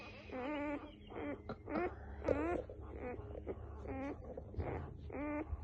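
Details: Newborn F1B Standard Goldendoodle puppies give short, rising squeaky whines and squeals, one after another.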